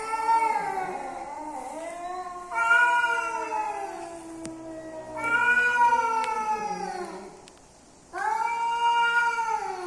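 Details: Male and female cats coming together, mating calls: long drawn, wavering yowls with rich harmonics, rising and falling in pitch, in three or four extended bouts separated by brief pauses.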